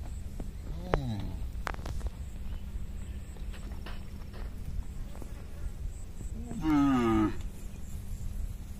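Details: Hundreds of tame herded cattle crossing a small bridge on their way home to the pen; a short moo early on, then a longer, louder drawn-out moo later, over low trampling hooves and background rumble.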